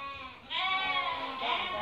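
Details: Merino sheep for import from Hungary, a flock being looked over by a buyer from Türkiye: after a brief lull, several long, wavering, nasal bleats overlap and sustain for over a second.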